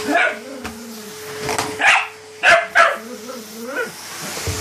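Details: Patterdale Terrier at play during a game of fetch, giving a few sharp barks spaced about a second apart, with a low voice and a steady hum underneath.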